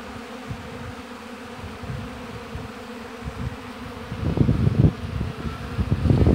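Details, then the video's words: Buzzing of honey bees at the hive in an apiary: a steady low drone for the first seconds, then increasingly covered by bursts of low rumbling wind or handling noise that grow louder toward the end. "Busy Bees Buzzing Sound"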